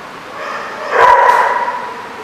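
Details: Dog at The Barking Lot, recorded 6 June 2014: one short, harsh bark with a tonal centre near the middle of the clip, over a steady background murmur.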